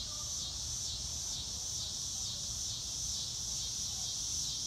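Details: Outdoor cricket chorus, a steady high-pitched ringing trill that swells and dips in rhythmic waves, over faint low-frequency background noise.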